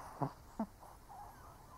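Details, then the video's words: Old Shih Tzu asleep indoors, giving two short, snorting snores about half a second apart, each a low buzzy burst, followed by soft breathing against a quiet room hiss. "Snoring Shih Tzu (cute/old doggo sleeping)"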